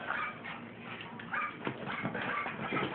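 A Cairn Terrier gives short, sharp yips and whimpering barks while a person talks nearby.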